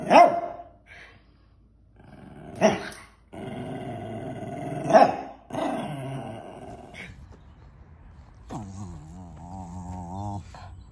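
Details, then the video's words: Excited female Cairn Terrier indoors before a walk: scattered short grumbles and yips, then a drawn-out, wavering whining moan near the end, with music in the background. "Cairn Terrier Ruby can’t contain her excitement"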